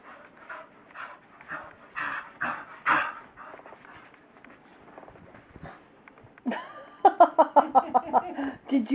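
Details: Kyree, a female Staffordshire Terrier, chasing her tail at home: rhythmic breathy puffs about twice a second, then a quick run of short voiced grunting pulses near the end, with a person talking to her throughout.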